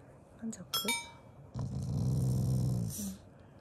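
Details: Pet Shiba Inu growling out of affection during a meal: brief household clinks first, then one steady low, throaty rumble of about one and a half seconds.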